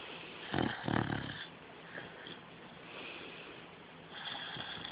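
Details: Male pet beagle snoring while dreaming: two loud, broad snorting breaths near the start, then softer, breathy, rasping exhalations that swell and fade. The room is quiet apart from the dog.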